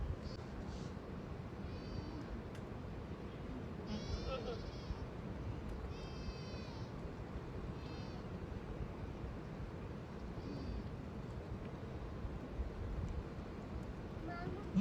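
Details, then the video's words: Village goats coming back home, giving repeated quavering, tremulous bleats roughly every two seconds over steady low rumbling background noise. "Village goats back in home || goats sound"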